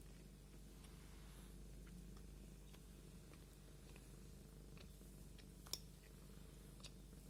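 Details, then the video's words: Domestic cat purring while being combed indoors: a quiet, steady low rumble throughout, with faint scratchy clicks of the comb and one sharp click near the end. "кошка чихает и мурчит"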